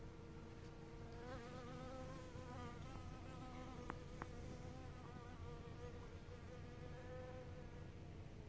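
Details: Solitary blue-banded bee at nodding violets, drawn to blue and violet flowers: a continuous buzzing hum with wavering pitch and strong overtones, rising and falling as it moves, with two brief clicks and a steady low rumble behind.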